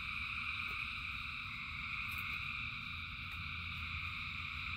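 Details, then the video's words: Rain-soaked frogs by the thousands keep up a continuous, even chorus of bright layered trills, with a brief higher chirp near the middle and a constant low rumble beneath. "Frogs in Rain 2 Hours of Frogs, Thousands of Frogs Singing"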